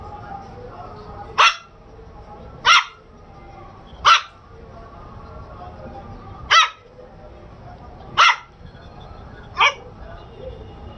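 A Shih Tzu puppy gives sharp, high yaps, spaced irregularly about every one to two seconds.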